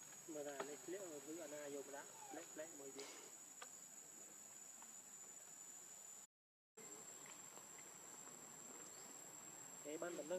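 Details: Baby monkey Lucie, hungry for milk, crying with a string of wavering, whimpering harmonic wails, several in quick succession early on and again at the end, over a steady high insect whine and faint background noise.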